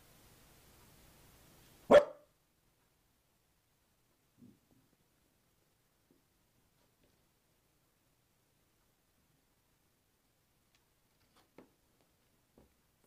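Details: A Corgi confronting a toy box gives one sharp, loud bark, followed by a few faint, brief sounds.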